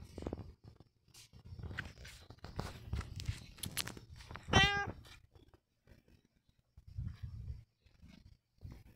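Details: Pet cat Long John Whiskers lets out a short, bright meow midway through a stretch of rustling, knocking and low household noise.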